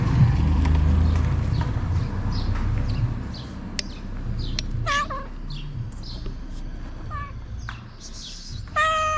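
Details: Hungry ginger stray cat in Morocco greeting its returning feeder; a few short meows rise out of heavy low rumbling noise, ending with one longer, steady, clearer meow.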